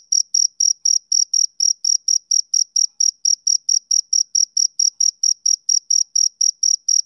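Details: A male cricket chirps in a regular, high-pitched series, about four short chirps each second, continuous and clear with nothing else audible.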